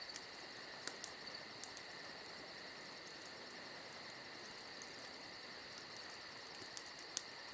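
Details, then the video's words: Crickets on a summer night beside a campfire: a steady, shrill, unbroken trill with two even pitch bands, a fast pulsing buzz above it, and occasional soft crackles from the fire. "Summer Night Crickets & Crackling Fire"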